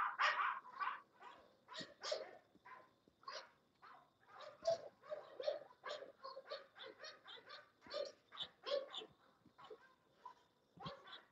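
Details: English Bulldogs at a kennel barking almost nonstop, a dense run of gruff, overlapping barks and yaps of varied loudness, the quick bursts packed closely over about eleven seconds.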